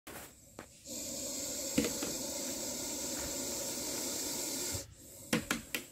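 A snake gives a long, steady, breathy hiss, like steam escaping from a pressure cooker.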